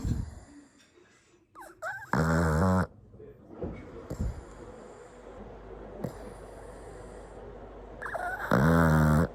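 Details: Loud snoring from a flat-nosed pug and toy poodle mix dog: two strong, rattling, buzzy snores about six seconds apart, each under a second long, with quiet breathing and small rustles in between.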